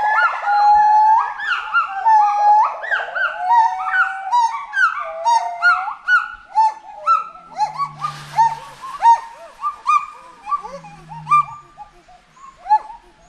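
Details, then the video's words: Forest monkey calling with loud clustered rising and falling whoops and warbles, crowded at first, then thinning to spaced single hoots, with a brief low hum and noise burst mid-way. "FOREST MONKEY VOICE"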